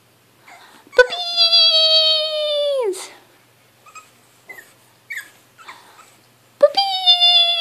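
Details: Pug puppy giving a long, drawn-out whining howl of about two seconds that slides downward at the end, then soft little squeaks, then another high whine starting abruptly; quiet indoor surroundings.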